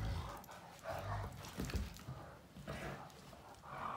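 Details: Great Danes Finn and Magic, two males, play at mouth fighting: short throaty growl bursts and low grunts alternate with breathy panting and bumping sounds.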